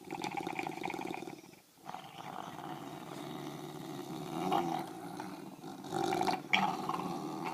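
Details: English bulldogs, two of them, tugging on a toy in dim light: steady gravelly growling that dips briefly, then swells into harsher, louder snarls near the end.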